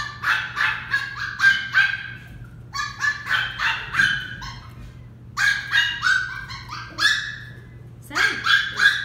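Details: Westie puppy, a female, barking while being trained: fast strings of shrill, clipped yaps repeated in clusters, a short quiet gap midway, then renewed yapping, with a faint low voice briefly in the background.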